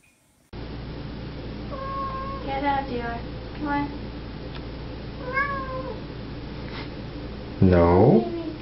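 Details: A male Birman cat, apparently tucked inside somewhere, gives several drawn-out tonal meows ending in one loud wavering cry while a person softly coaxes him to come out; Birman cat.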